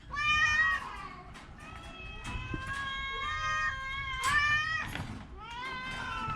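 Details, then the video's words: Orange cat, sick with a cough and cold, giving a run of drawn-out, bright harmonic meows, some rising and others falling, about four in quick succession with brief gaps, over low background hum. "Kucing Oren Lagi sakit batuk pilek"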